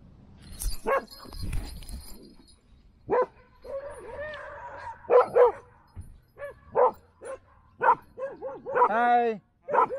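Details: Standard poodles from a family home in Ketchum, Idaho, bark in a series of short, sharp, harmonic-rich barks spaced irregularly across several seconds, sometimes in quick pairs, with a person talking at the start and in between.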